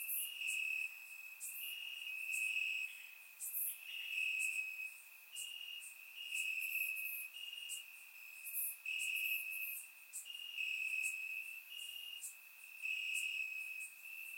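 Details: Warm summer night in Bulgaria, crickets in the grass: a continuous shrill trill at a fixed high pitch swells and fades in waves roughly every second or two, overlaid by short sharp higher chirps, recorded on a surround microphone.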